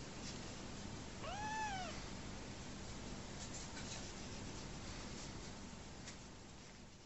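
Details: Orphaned kitten taken in by a family after his mother died soon after giving birth, enjoying his bottle; a single bright meow arcing up and down, under a second long, with soft ticking noises around it.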